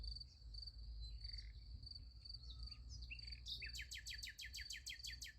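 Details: Crickets at night beside a sunflower field, a steady high pulsing trill running throughout, joined near the end by a fast series of bright, repeated descending chirps, over a low background rumble.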